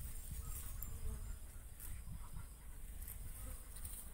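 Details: Bees at coconut flowers, pollinating and feeding, make a steady low hum with fluttering pulses throughout, while faint high-pitched insect chirping sits quietly in the background.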